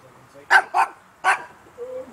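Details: A dog barks at a swimming pool: three short sharp barks in quick succession, a person calling out nearby.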